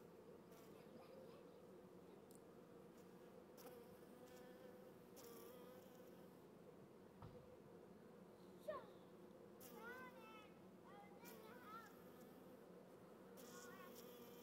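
Honey bees hum in a steady, low, droning buzz, agitated by an earwig intruding in the comb.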